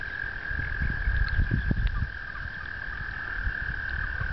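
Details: Frogs gathered for mating on a pond in upstate New York during April 2009, a continuous high trill over a cluster of low, rapid croaks and rumbles in the middle.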